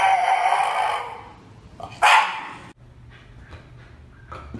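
A Shiba Inu gives a harsh, drawn-out vocal sound, then one sharp, loud bark.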